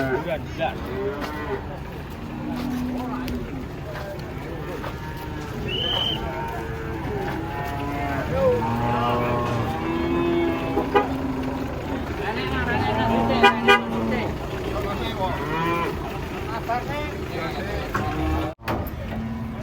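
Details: Big, aggressive cattle stepping down off a truck. Repeated flat, deep moos surface among a crowd of chattering voices, one higher bawl around six seconds, and scattered knocks of handling noise.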